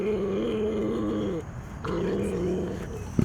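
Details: Captive big cat at a rescue refuge growling at its carers: two drawn-out low growls, the first about one and a half seconds, the second slightly shorter, ending with a brief knock.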